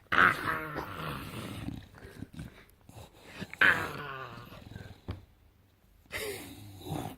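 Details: Indoor bulldog producing strange gremlin-like vocalizations: two strong, harsh groaning growls with a squeaky rising edge, separated by quieter snuffles and breathing, followed by a rougher grumble near the end.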